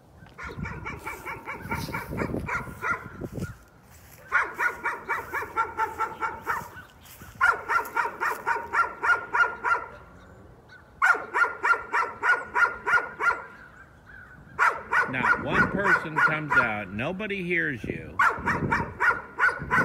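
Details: Dog barking persistently as a nuisance: long runs of rapid, repeated barks, several per second, in bursts of a few seconds separated by brief pauses, with a person's raised voice near the end.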